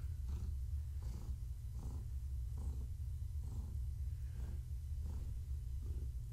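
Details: Gaia, a pregnant long-haired tabby cat, purrs indoors in the evening while being petted. A steady low rumble pulses with each breath, roughly every three-quarters of a second, and a faint brighter edge marks each cycle.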